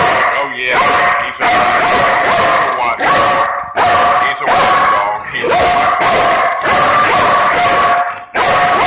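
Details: Steady rough barking from a Belgian Malinois police dog holding its post at a front door against a staged intruder, barks running almost without pause, mixed with human speech.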